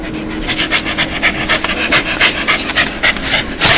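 A dog gives a breathy, rapid panting 'laugh', a sound made when happy.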